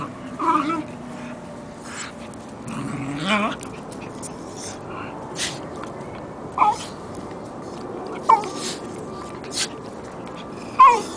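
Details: A Jack Russell terrier and a Corgi puppy at play. Short, high yips and whimpers come at irregular intervals of a second or two, alongside soft grumbles and a person's voice speaking to the dogs.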